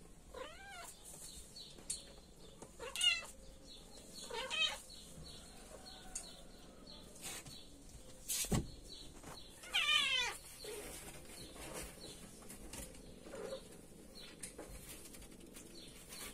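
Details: Kittens meowing at dinner time: about five short, high, arching meows, some doubled, spaced irregularly a few seconds apart, with a sharp click near the middle and faint high chirping and clatter in the background.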